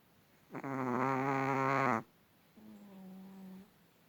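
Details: Long-haired Chihuahua puppy that was sleeping quietly and suddenly began snoring loudly from its tiny body. One loud rasping, buzzy snore lasts about one and a half seconds, followed by a softer, smoother snore.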